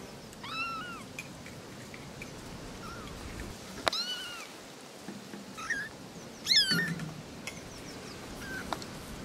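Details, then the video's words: Three little kittens talking, trading thin, high arched mews, a couple of them wavering, with a sharper, louder cry near six and a half seconds; faint clicks and soft background hiss between calls. "Three little kittens are talking"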